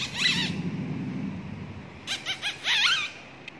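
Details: Persian cats in Chennai give thin, high-pitched mews that waver up and down, one early and a quick run of several later.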